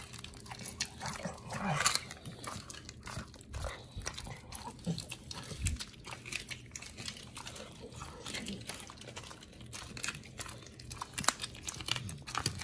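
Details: Oli and Nomy, a pair of dogs fed raw food, tearing into raw meat, recorded November 2022; bursts of crisp crunching and gnawing, loudest near the start, with damp mouth sounds between bites.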